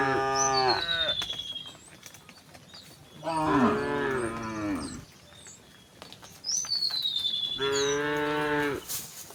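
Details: Gentle resident cows wandering on a rural road give three long, wavering moos, each preceded by a high, downward-sliding bird whistle; light background chatter of birds.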